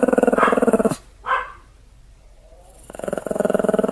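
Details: A furious Pomeranian growls in low, pulsing bursts: a rough growl for about a second, a short snarl, a quiet gap, then the throaty rumble starts again and continues to the end.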